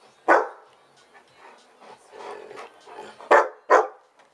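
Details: Hungry Old English Sheepdog demanding its owner's food, opening with one loud bark, then softer whines and grumbles, and ending with two more sharp barks close together.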